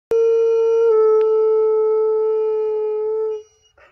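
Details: A giant Alaskan Malamute gives one long, steady, mournful howl that dips slightly in pitch, then fades out. It is howling along with coyotes.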